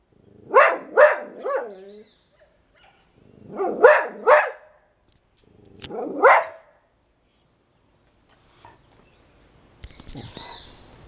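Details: In Suriname, the female dog Moksi barks at dawn from her outlook spot, letting the neighbourhood know she is still around; three short groups of two or three sharp barks, followed by quieter scuffling noises.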